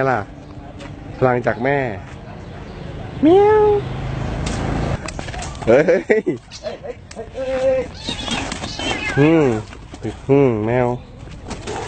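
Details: Wavering, quavering yowls repeat from a mother cat protecting her kitten against a dog, mixed with a rising cry, shouted Thai speech and constant background noise.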